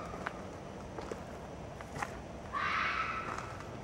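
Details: Red fox (Vulpes vulpes), scream.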